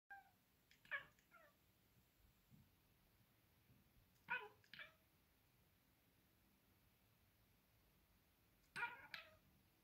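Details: A pet cat watching birds gives short high squeaky chirps in three bursts, near the start, around the middle and near the end, with quiet indoor background between them.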